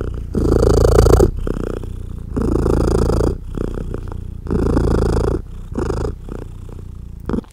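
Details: Loud purring from a mother cat as her small kittens nurse and jostle to feed; strong low rumbling bursts about a second long, separated by quieter breathing gaps, growing softer toward the end.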